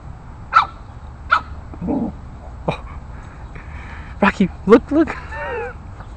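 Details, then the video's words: An 8-week-old Boston Terrier puppy confronting bigger neighborhood dogs: short sharp barks at irregular intervals, then a quick cluster of yips near the end and a falling whine, with human speech mixed in and low background rumble. "BT Pup with Napolean Complex"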